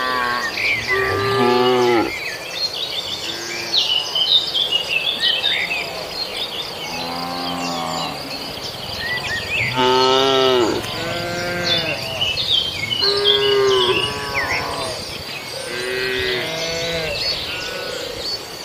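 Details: Several cattle eating grass on a farmer's rice field in Indonesia, calling repeatedly with short overlapping moos throughout, amid dense bird twittering and a continuous high insect drone.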